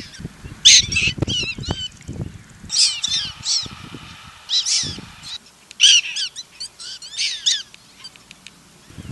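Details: Prairie dog pups in Golden, Colorado, learning the jump-yip; high, harmonic yips in quick bursts of several notes, repeated in three or four bouts with short pauses, overlapping calls from more than one animal, faint low rustling underneath.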